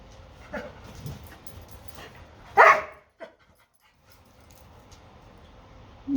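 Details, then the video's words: Doberman frustrated at a bone stuck under a dog bed cot: one loud bark, a brief softer yelp after it, then quiet room noise and a faint whine at the end. "Doberman Upset He Can't Reach a Bone He Dropped"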